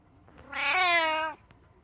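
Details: Domestic cat, one of three living together, giving a single drawn-out, clear meow, rising slightly then holding steady before stopping abruptly, in a quiet room.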